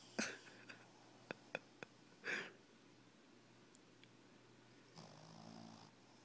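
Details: A sleeping Shih Tzu puppy snores in breathy, rasping bursts over a steady low indoor hum.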